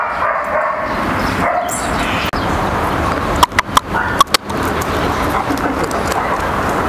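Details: Flat-backed German Shepherd mother scolding her daughter Kaka when the two meet again after a year's separation. Dog vocalisations rise out of constant background noise, broken by a cluster of sharp clicks and knocks a little past three seconds.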